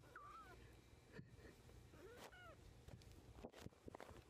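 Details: A young kitten learning to walk, recorded in April 2014, gives three thin, high mews: short arched cries that rise and fall, with gaps between them. Soft rustling, thumps and a steady low background rumble run underneath.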